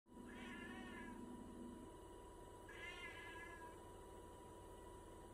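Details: Domestic cat meowing because it wants a snack: two drawn-out, wavering meows about two seconds apart, each rising then falling, over a steady indoor hum.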